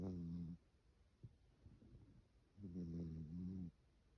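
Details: A cat asleep, snoring in slow cycles: a low buzzing snore fades out, a soft breath follows, then another long droning snore of about a second, in a quiet room.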